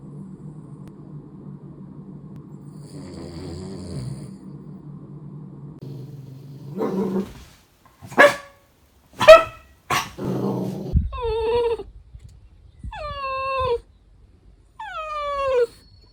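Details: Tricolor Cavalier King Charles Spaniel, a pet dog of a family in Munich, Germany, gives a few sharp barks, then three rising-and-falling whimpering whines about a second apart, after a stretch of low rumbling background noise.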